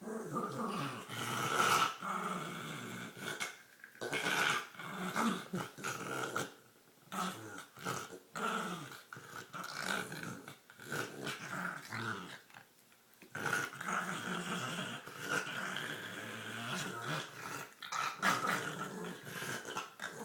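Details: While playing with her green toy, a female dog keeps up long stretches of harsh, throaty growling mixed with snorts and gurgles, broken by brief pauses, with a person speaking nearby.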